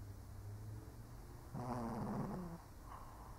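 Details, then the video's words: Old Shih Tzu asleep, giving one low, throaty snore lasting about a second, a rough rumbling snort that fades out, over a steady low background hum. "1 Hour of Snoring Shih Tzu (cute/old doggo sleeping)"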